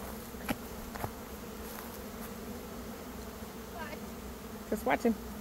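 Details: Honey bees swarming in early May, one of two swarms that day. A constant low drone carries a few faint knocks, then brief voice-like bursts near the end.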